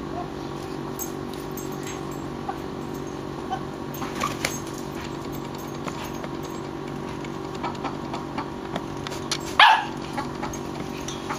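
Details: Sienna, a 9-week-old Australian Shepherd puppy, playing with chickens for the first time; one sharp, high-pitched yip near the end cuts through steady background hum, with scattered faint clicks and rustles before it.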